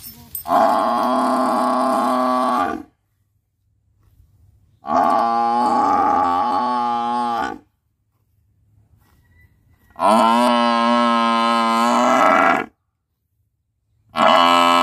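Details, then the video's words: Buffalo bellowing: four long, loud, harmonic moaning calls of about two to three seconds each, separated by short silences, with the last call cut off at the end. "Buffalo Sound"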